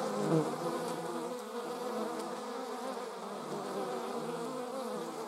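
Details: Honey bees, filmed alongside wasps in slow motion, give a steady, low droning buzz with layered hum tones that waver slightly.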